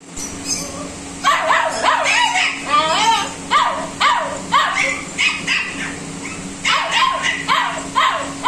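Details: Male golden retriever puppy giving a run of high, whining yelps and squeaky whimpers, rising then falling, clustered in quick bursts with short pauses between them; a faint steady hum sits underneath.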